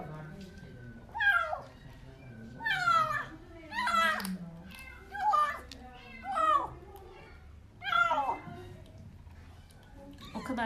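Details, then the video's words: Starving kitten found under apartment buildings cries loudly while eating food indoors; repeated descending harmonic meows roughly every one to two seconds, with a woman speaking softly in the background. "Yavru Kedi Hem Ağlıyor Hem Mama Yiyor"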